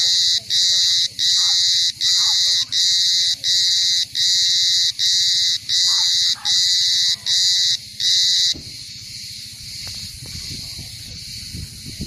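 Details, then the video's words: Shrill cicada call in regular bursts, roughly one every three-quarters of a second for about eight seconds, then a fainter continuous high drone over low rumbling noise. "som de cigarra"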